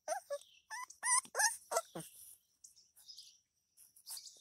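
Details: Female Alapaha Blue Blood Bulldog puppy whining: a quick run of high, wavering wails and yelps in the first two seconds, then softer, shorter whimpers trailing off with pauses.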